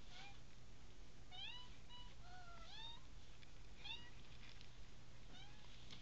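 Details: Litter of five American Bobtail kittens, about three weeks old, mewing repeatedly: short high rising and falling cries, some overlapping, roughly eight across six seconds, with a steady low hum behind.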